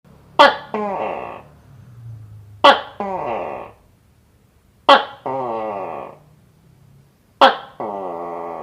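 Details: Gecko calling: four call bouts, each a sharp click followed by a harmonic, slightly buzzy tone with a falling lead-in, repeated about every two to two and a half seconds, with a low hum between.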